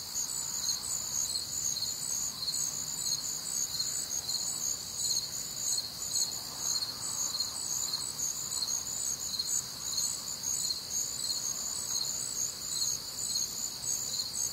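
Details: Crickets and other nocturnal insects on a warm, humid Midwestern summer night: a dense, steady high-pitched chorus of pulsing chirps, bands of trilling layered continuously with no pause, about two pulses per second standing out over the constant shimmer.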